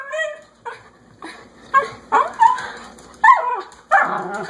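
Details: Dog that wants to go outside, yapping loudly indoors: a whine, then a run of sharp, strained yaps and barks at irregular intervals, about six bursts in under five seconds.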